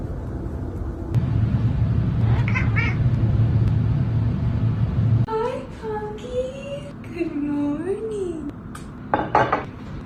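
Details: Cat meowing in a funny cat compilation: a low steady hum at first, then a series of drawn-out wavering meows that bend up and down in pitch, ending with short sharp sounds.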